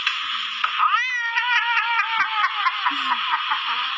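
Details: A pet cat giving a long, drawn-out, wavering meow that rises then holds steady, with rapid pulsing through it, while a person speaks Thai quietly nearby.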